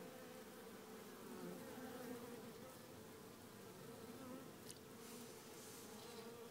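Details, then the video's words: Droning of a queenless honey bee swarm in a small hive; continuous layered buzz with drifting low and mid tones, gently pulsing in loudness, a short faint tap near five seconds. "Ruchette bourdonneuse"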